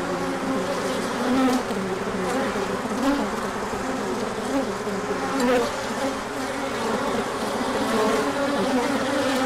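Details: Honeybees making a large orientation flight as the sun comes out after colder weather, with pollen coming in; a dense, steady buzzing hum of many bees with low droning tones throughout.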